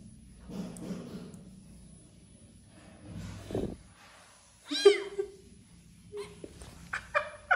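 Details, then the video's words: Domestic cat or kitten meowing in a funny compilation: one short, strained meow with arching harmonics midway, then brief chirp-like squeaks and scraping thumps indoors, with faint speech in the background. "Funny Cats and Kittens Meowing"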